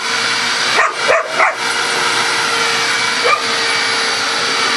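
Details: Pet dog Coco, female, reacting to the vacuum cleaner she always barks at: three quick barks near the start and one more a couple of seconds later, all over a constant, loud droning of the vacuum.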